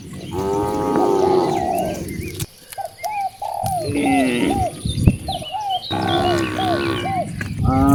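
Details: Cows roaming freely in nature: a long, rich moo opens the clip. After a quieter gap with short chirping calls, another drawn-out moo follows.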